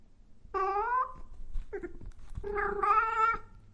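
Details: Cat meowing loudly: a long falling meow, a short clipped mew, then a longer, strained, rising-and-holding meow, all close and clear in a quiet room.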